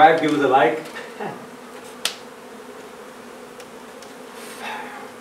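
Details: A talking voice opens, then the even low hum of a honey bee hive being relocated from an old home in Donna, Texas continues steadily, with one sharp tap.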